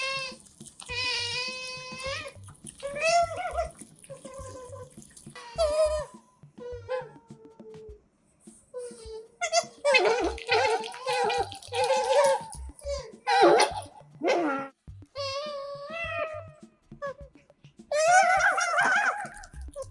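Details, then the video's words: Pet otters Kotaro and Hana eating indoors, close-miked: a run of high, harmonic squeaking calls, some wavering and some rising, bursting out in quick clusters, with short pauses and soft background music. "にゃむにゃむ食べるカワウソにマイク使ったら可愛すぎた Otters Make Funny Noises While Eating with Mic"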